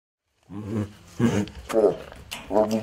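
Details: A 16-year-old female Bengal tiger at an animal rescue in San Diego, eating a snack, makes four low, rough, moaning vocalizations, each under half a second and spaced a little over half a second apart, like a drawn-out nom nom.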